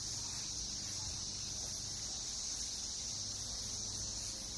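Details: A dense chorus of Brood X periodical cicadas, emerged after 17 years underground, fills a Northern Kentucky backyard in June 2021 with a steady, unbroken, high-pitched hiss.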